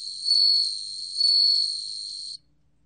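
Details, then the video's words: Bell cricket song: a steady high, pure ringing tone with a faint higher overtone, swelling louder twice at about one-second intervals, then stopping abruptly after roughly two and a half seconds; otherwise quiet. "방울벌레, 1번 듣기, 곤충소리"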